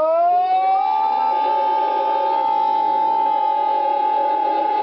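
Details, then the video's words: Howler monkey, Ambue Ari, Santa Cruz, Bolivia, February 2009, at the Inti Wara Yassi community: a drawn-out, siren-like howl rising at the start and then holding one loud, even tone. "Howler monkey (mono aullador)"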